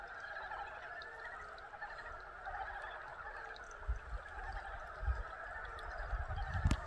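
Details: Frogs calling together in a dense, continuous chorus of overlapping croaks that holds steady throughout, with a few low thumps and knocks toward the end.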